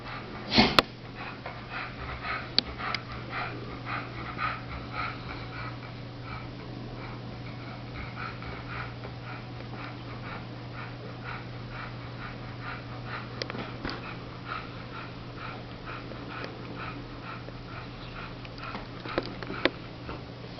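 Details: Chongqing dog, one of the first of its breed in Europe, indoors: one sharp sneeze burst near the start, then soft sniffing and snuffling throughout, over a steady low electrical hum.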